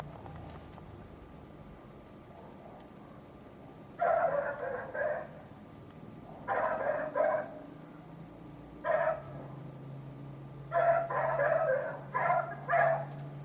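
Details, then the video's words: Neighbour's dog barking loudly and repeatedly in short bursts of two to four barks, separated by quiet gaps, over a steady low engine drone. "Neighbor's annoying dog noise"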